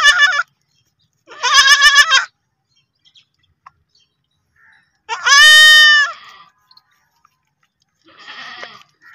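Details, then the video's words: Baby goats bleating, shared as happy kids: high, quavering, strongly harmonic bleats in four separate bursts spread irregularly over nine seconds, the third loudest and longest, with near silence between calls. "Baby goat making the cutest noise"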